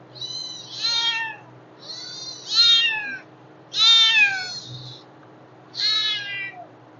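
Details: Loud, insistent mews from hungry kittens: four strong, harmonically rich cries, each slurring downward at the end, repeated roughly every one and a half to two seconds.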